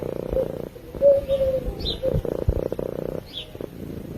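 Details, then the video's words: A sleeping cat purring in low rumbling pulses that stop briefly between breaths, with a couple of faint chirps high above and one short thin whistle. "Cat Purring While Sleeping"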